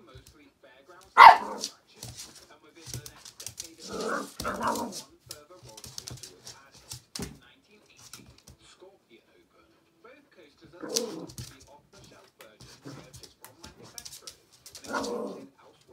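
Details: Teddy, a feisty little dog, during one of his first encounters with a squeaky ball indoors. Short sharp barks come in scattered bursts, with a longer gap midway, between quieter rustles, soft speech and clicks in a small room.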